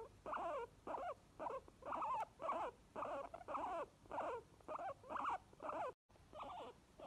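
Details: Happy wheeking from two pet guinea pigs, Obi the white one and Chewi, given as a steady series of short shrill squeals with pitch wavering up and down, a dozen or so calls coming at about two per second.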